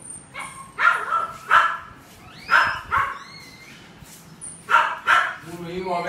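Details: Purebred poodle giving several short, sharp barks, spaced irregularly and sometimes paired close together, with voices and faint rising whistled sounds in between.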